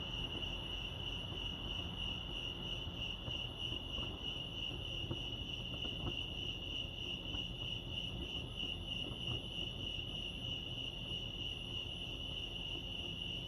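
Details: Lake Arrowhead crickets in California chirp in an unbroken, fast-pulsed high trill, with a few faint clicks and a low background hum.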